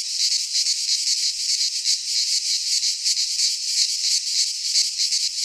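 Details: Cicadas from Greek fauna singing in a midsummer pine forest: a loud sizzling buzz, rhythmically throbbing about three times a second, with no other animals heard.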